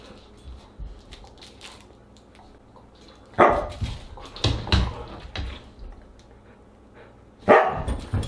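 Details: Siberian husky at dinner on August 30, 2022, giving three loud, clipped barks spaced a few seconds apart over quiet indoor background rustling.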